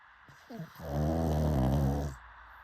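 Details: Pug gives a brief snorting catch of breath, then a long, deep, rattling snore of over a second before going quiet.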